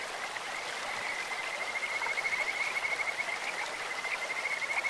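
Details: Kajika frog in a clear stream: a thin, high, rapidly pulsed trill held at one pitch, growing stronger and more pulsing midway, backed by continuous rushing stream sound.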